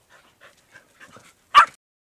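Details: Podenco hunting dog gives one sharp, loud baying bark at a wild boar bedded down in a ravine, after a few faint rustles, during a hunt.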